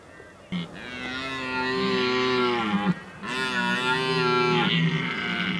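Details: Close red deer in rut at the Oostvaardersplassen, 15 October 2011, bellow two long, loud, rich roars, each about two seconds, sliding slightly downward and ending in a grunt, with a short pause between.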